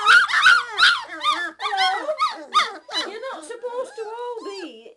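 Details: Hungry three-week-old Old English Sheepdog (bobtail) puppies whining so their mother will feed them; several overlapping voices give high, wavering whimpers and yelps that rise and fall, with a few louder squeals early on and softer drawn-out whines toward the end.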